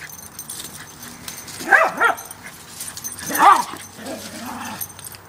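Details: Playful pair of Parson Russell Terriers: a 2-year-old short-haired female named Kimi and an 8-year-old long-haired male named Brian. Two bursts of squealing, whiny yelps about a second and a half apart, with a soft whine after them.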